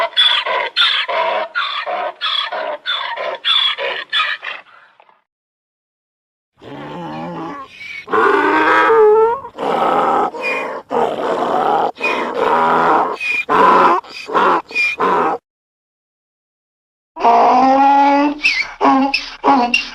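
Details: Donkey bray sequence: quick repeated choppy pulses, a silent pause, a long rasping run of alternating notes, another silence, then a final harmonic wheeze.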